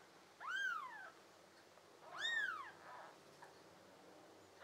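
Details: Tabby and American Shorthair kittens, one of five, in summer, June 2022: two thin, high, arching meows about two seconds apart, each rising and then falling, in a quiet room.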